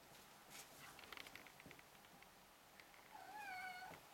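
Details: Four-week-old Ragdoll kittens playing energetically; scattered soft taps and clicks of play, then near the end one drawn-out, falling, tonal meow with clear overtones.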